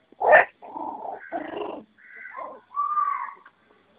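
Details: Puppies scrambling and playing together: a sharp yelp, then a throaty growling whine, a falling whimper, and a long high, steady whine at the end, in four separate bursts with short silences between.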